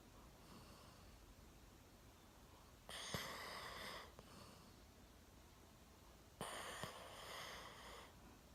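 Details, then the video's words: One-year-old Golden Retriever fast asleep indoors, sitting on a sofa with its chin resting on a table; two rasping, noisy snores about three and a half seconds apart, each lasting over a second, in an otherwise quiet room. "ゴールデンレトリバー いびきをかいて大爆睡"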